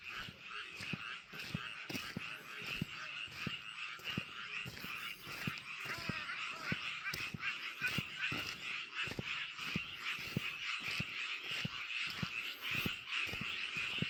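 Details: Frogs calling from a rice paddy: a dense chorus of many overlapping croaks forms a continuous bright trill, with a steady stream of short, sharp pulses repeating over it throughout.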